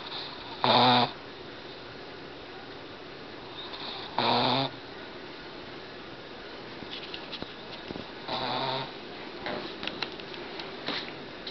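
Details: Boston Terrier snoring while fighting off a nap indoors, three short rough snorting breaths about every three and a half seconds, quiet room hiss between them with faint small clicks.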